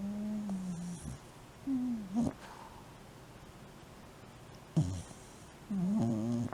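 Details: Sleeping Shiba Inu snoring and sleep talking; low whimpering moans that bend up and down, interrupted by brief snorting breaths, separated by quiet pauses indoors.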